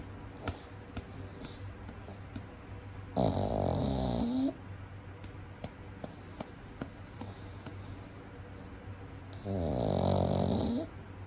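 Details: Young pug asleep during a daytime nap, giving two drawn-out, rough snores roughly seven seconds apart, the first ending in a rising whistle-like squeak; small clicks and steady background hum between breaths.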